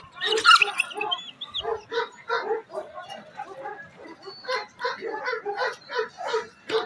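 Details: Bully Kutta crossed with Afghan Kochi dogs, called champion dogs, barking in a steady run of short harmonic barks about two per second, with a brief squeaky sound near the start.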